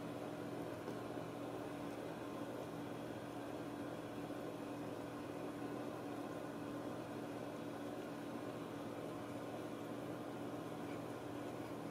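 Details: A steady indoor mechanical hum with a constant low tone fills the whole recording, like a running microwave or fan, and no animal voice is heard.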